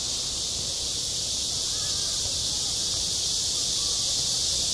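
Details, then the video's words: High summer at a school playground, cicadas filling the air with a smooth, unwavering, high-pitched buzzing chorus, with almost nothing else standing out beneath the sound. "한 여름 운동장에서 매미가 울고 있다"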